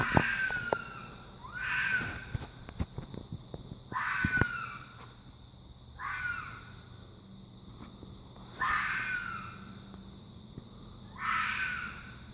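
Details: Fox repeating a hoarse, screaming call five times, roughly every two and a half seconds, each call harsh and sliding downward, with clicking and tapping noises in between and a steady hiss behind.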